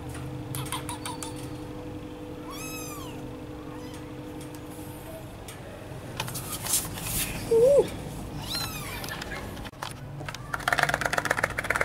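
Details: Cat playing with vegetables, giving short meows that dip and rise. A brief wavering mew comes near the middle, with clicks, knocks and rustling from play throughout.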